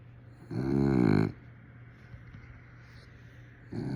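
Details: A dog snoring: one loud, rough, buzzy snore with stacked harmonics lasting under a second, then quiet breathing and the start of another snore near the end, with a steady low hum in the room.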